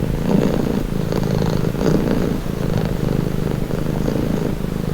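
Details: Cat purring for relaxation, a low buzzing rumble that rises and falls gently with each breath, steady throughout with faint higher rustles.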